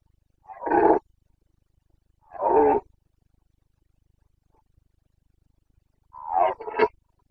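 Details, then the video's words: Carpathian red deer stag roaring during the breeding season in the Bucovina mountains, Romania, 29 September 2022: three short, harsh roars spaced a couple of seconds apart, rich in harmonics, with a quiet background. "Boncănit / Carpathian stag Breeding season"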